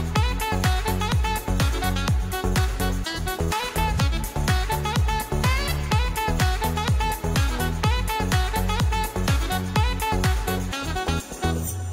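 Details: Upbeat electronic dance music with a fast, driving beat and bright chords fills the recording; no animal sound.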